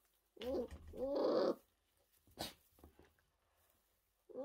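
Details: Orphaned new-born brown bear cubs, rescued in 2023 after losing their mothers, tiny and fragile in care: two short moaning, harmonic cries in the first second and a half, then a brief breathy sound and a faint start of another call.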